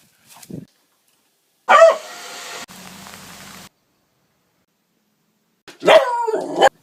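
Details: Beagle at seven months old giving loud, sharp barks: a short yip, then a harsh bark near two seconds and another strong bark near six seconds, separated by silence and a low hum.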